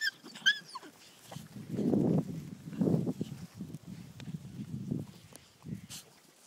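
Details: Three-month-old Whippet puppies playing with a four-month-old Whippet pup, giving low rough growling grunts in irregular bursts over several seconds, with a few faint high yips at the start and a person saying "hey" afterwards.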